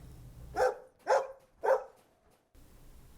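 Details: Domestic dog barking, from a farm animal names and sounds lesson: three sharp, evenly spaced barks about half a second apart, then a brief quiet gap and faint low background hum.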